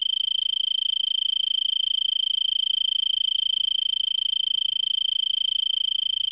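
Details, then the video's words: Tree cricket in Vail, Arizona, perched in brittlebush at 3300 ft on a late December evening near 70 °F, already singing for about an hour: continuous shrill pulsed trill at one steady high pitch, very regular. "Arizona Tree Cricket"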